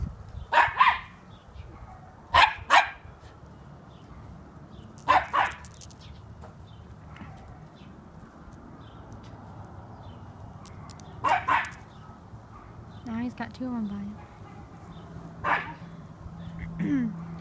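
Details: One-year-old black Miniature Schnauzer, close to a squirrel for the first time, giving sharp barks in short pairs and singles, with a man talking in between and urging the dog to be nice.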